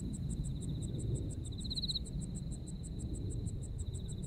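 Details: Japanese autumn insect voices: quick, regular high-pitched chirps pulse several times a second above a continuous thin trill, which briefly grows louder and rises in the middle, with low background rumble underneath.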